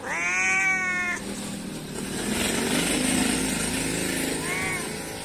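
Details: Cute cat calling its companions: one long, drawn-out meow that slides slightly downward, a stretch of broad hiss-like noise, then a shorter, fainter meow near the end.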